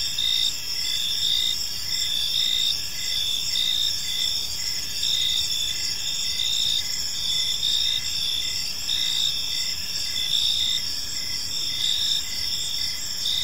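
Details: Many crickets chirp together in a serene park at evening, producing an unbroken shrill, shimmering chorus with regular short chirp pulses throughout and a faint low hum of environmental noise.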